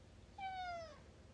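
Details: Alfie, a pet cat who interrupts a conversation indoors, utters a short, bright meow of about half a second that starts high and slides gently downward, rich in harmonics, over faint room noise.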